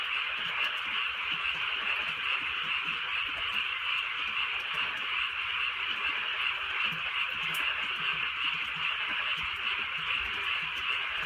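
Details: On a rainy rural night, frogs keep up a thick pulsing chorus of fast repeated croaks, steady throughout, while gentle rainfall adds a soft background hiss.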